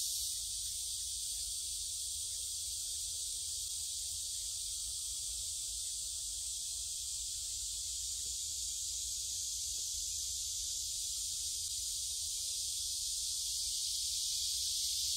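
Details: Many cicadas singing along the forest path of Gyeongju Gyerim, 16 July 2022, captured with a phone camera: steady high shrill buzzing throughout, a little softer, with faint murmur and low rumble underneath.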